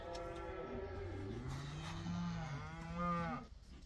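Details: Herd of cows let outdoors for the first time: quiet, low, drawn-out lowing from several cattle overlapping, deep and steady, with one call rising in pitch near the end before fading.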